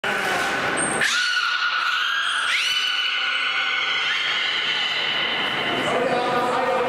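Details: During public training at Port of Nagoya Public Aquarium, a male beluga produces long, harmonic squealing tones from his blowhole that swoop sharply upward, then hold steady.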